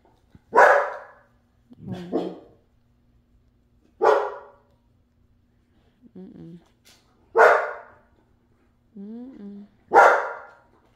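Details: Pet dogs at night: loud, sharp single barks roughly every three seconds, with softer, lower whining yelps between them, in otherwise quiet surroundings.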